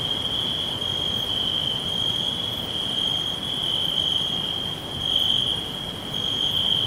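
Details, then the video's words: Many crickets in a natural green forest produce an unbroken shrill trill, even and sustained with slight swells in loudness, over a low, diffuse background hiss; faint higher-pitched tones recur at intervals. "Forest With Crickets Whispering All Round"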